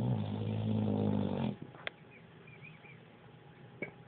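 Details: Sleeping pit bull gives one long, loud, rumbling snore lasting about one and a half seconds, followed by quiet breathing with a few faint clicks and soft high chirps in the room.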